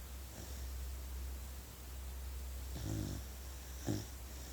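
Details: Puppy asleep, giving two short, low snorts of snoring near the end over a steady low hum, with quiet breathing before them.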